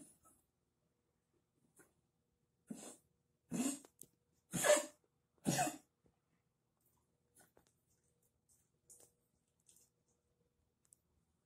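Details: Shiba Inu with lymphoma that has spread to the lungs, breathing with difficulty and coughing nonstop since the small hours, coughing up blood with a bleeding nose; four harsh, broadband hacking coughs about a second apart, in a quiet indoor room.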